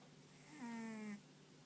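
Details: A single drawn-out snore from Ponta, a soundly sleeping dog whose paws and ears twitch at times: a smooth, humming tone lasting about half a second in a quiet room.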